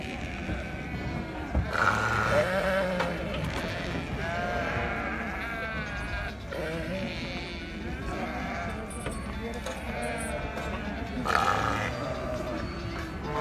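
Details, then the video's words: Sheep in Morocco, several animals bleating over one another in wavering, nasal cries that rise and fall, with music playing and people talking in the background throughout. "خرفان المغرب"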